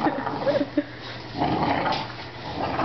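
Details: During tug-of-war between a 5-month-old blue pit bull and a 2-year-old 70-pound English bulldog, short high whines and yips open the moment, followed by grumbling growls and shuffling, with a person's voice nearby.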